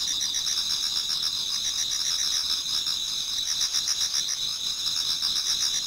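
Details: Japanese garden at the approach of dawn in autumn, full of singing insects: shrill sustained trills under rapid rhythmic chirping pulses, about four each second, forming a constant bright chorus.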